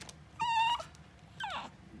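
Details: Pug puppy on its second day in a new home, left alone with a man who is afraid of animals, gives a short steady high whine, then a brief falling whimper after a pause, in a quiet indoor room.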